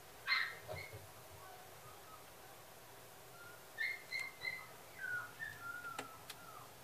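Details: Male Toy Poodle giving thin, high whimpering whines: one sharp squeal near the start, then a run of short, wavering, falling whine notes toward the end, separated by quiet indoor background.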